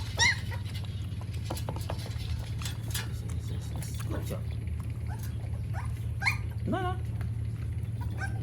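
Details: Puppies drinking milk in the morning in Siem Reap, Cambodia, giving thin, high whimpers and a few rising, wavering whines, scattered over a steady low hum with people talking nearby.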